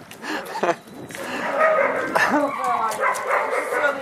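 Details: Irish Wolfhound puppies, 16 weeks old, at home as their sister Ilea visits them. They give high, bending whines and short yelps in a long wavering run, with a woman talking over them and brief clapping.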